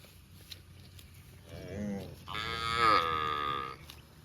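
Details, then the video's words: Cow eating grass in a park gives a short low lowing sound followed by a louder, longer nasal moo rising then holding, over quiet steady background hiss. "Cow sound mooing videos | Cute and Funny Cows sound mooing eating grass in park"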